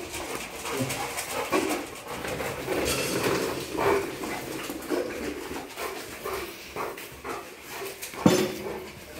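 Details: Rottweilers overjoyed to greet their owners returning home after two days away; excited whining and whimpering in short tonal bursts, rising and falling, with a sharper yelp near the end over scuffling and household noise.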